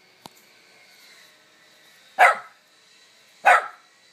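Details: Three-year-old miniature poodle outdoors barking at a lizard hidden under a rock, showing prey drive; two sharp single barks about a second apart after a faint click, with a soft steady background hum.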